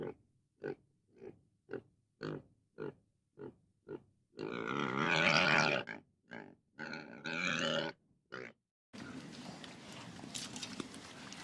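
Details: Pig grunting in evenly spaced short pulses, then a long harsh squeal and further squeals, followed by a stretch of broad noisy rustling.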